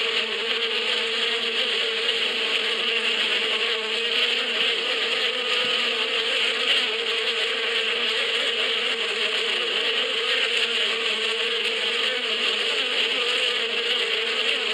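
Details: Spring swarm of bees in the Badia steppe, a continuous thick humming drone that holds even and constant throughout, with a faint airy hiss above and slight wavering in the lower tone.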